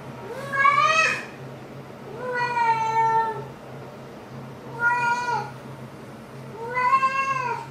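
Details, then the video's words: Domestic cat hailing its owner indoors with four drawn-out meows, each about a second long, rising then falling, spaced roughly every two seconds over a low steady hum. "Maru hails me"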